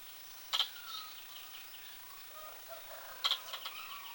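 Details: Two abrupt, high squirrel hiccups spaced roughly 2.7 seconds apart stand out against quieter bird chirps and low whistled notes in the background.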